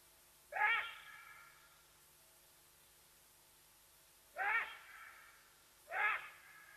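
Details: Side-striped jackal calling at Nkorho in South Africa's Sabi Sands, giving away Watika the leopardess; three loud harmonic yelps, the first alone, then a pair about 1.5 seconds apart, each sliding upward at the start, with steady background hum.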